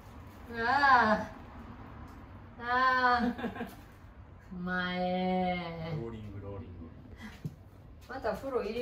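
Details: Mamedaifuku, a pet cat indoors, calling to invite the father of the house for a walk, a daily habit: drawn-out arched meows rising then falling, a longer lower third call, a short final call, faint voices behind.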